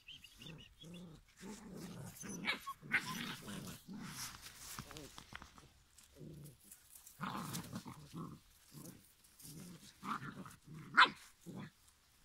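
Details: Giant schnauzer puppies, five weeks old, making a steady run of short low growls and grunts, several overlapping, with an occasional sharper yip near the end.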